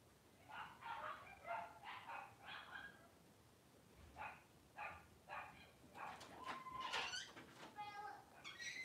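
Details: Whelping Cavalier King Charles Spaniel Daisy, delivering six puppies within two hours: a series of short, high, harmonic squeaks repeated roughly every half second, then a brief steadier tone, with soft human voices in the background.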